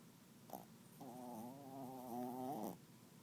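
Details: Roxy, a 10-lb terrier-chihuahua, snoring: one drawn-out nasal, whistling breath lasting under two seconds, steady and harmonic with a slight wavering, set against a soft hiss of room noise.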